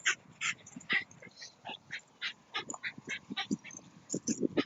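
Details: At a dog run, the Shiba Inu Rara gives a quick, steady run of high, clipped yips and barks during outdoor ball play, roughly four per second over nearly five seconds, with faint low rustling underneath.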